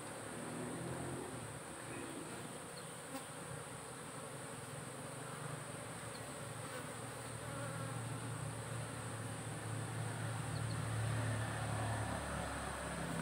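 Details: Honey bee colony kept for beekeeping, its hive monitored by the SAMS smart apiculture device for temperature and hive weight; a steady, dense low buzzing hum throughout that swells slightly louder toward the end, with faint higher hiss above.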